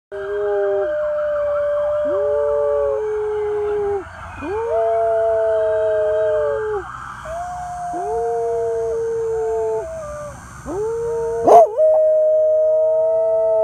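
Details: Two rescue dogs, a medium black spaniel mix and a larger white dog with tan spots, howling as sirens pass, recorded on a phone; overlapping sustained howls in two pitches, each held one to three seconds, over a steady siren drone.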